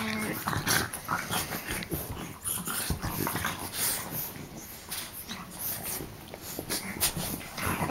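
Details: French bulldog wrestling and play-biting with other dogs, three on one; dense wheezy snorting and huffing in quick, irregular bursts throughout.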